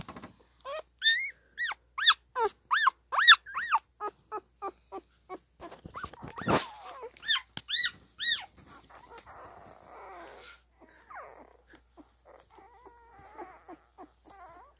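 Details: A newborn Standard Poodle puppy squeaks in a rapid series of short, high, rising-falling yelps, roughly two per second, while littermates nurse; the squeaks then thin out into soft mewing whimpers and quiet rustling.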